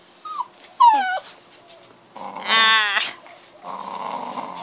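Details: Male puppy whimpering to go inside while being teased at home: a short yelp, then a wavering, falling whine and a louder drawn-out cry, ending in a quieter rough whimper.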